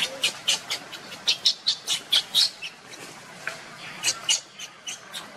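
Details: Monkeys: Luna runs very fast carrying Luno while Rainbow tries to take Luno from her. Sharp, high squeaks come in quick bursts, about a dozen in the first two and a half seconds, then a few more after a short pause.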